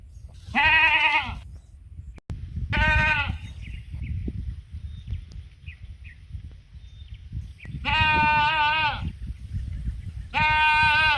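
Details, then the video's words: Sheep on the mountain call friends to come and eat: four wavering, nasal bleats spaced irregularly over several seconds, with rustling and low background noise throughout. "the sound of sheep on the mountain calling friends to eat"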